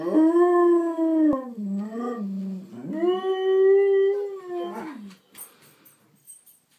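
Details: Pair of Husky/German Shepherd mix dogs howling hello indoors: wavering tones that dip low in the middle then rise into a long steady howl, fading out with faint trailing sounds.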